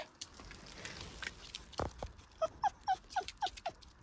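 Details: Pet dog whimpering because it wants its ball found: after a woman speaks and a soft thump, six short, high, falling whines repeat about every quarter second.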